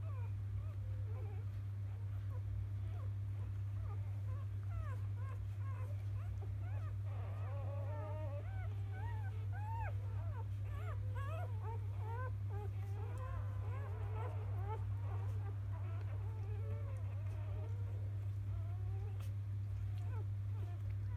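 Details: Many newborn field-line Labrador Retriever puppies from the 2017 JFA Grand Champion biscuit's litter squeal together in the morning after nursing, a dense chorus of short arched cries building in the middle, over constant low electrical hum.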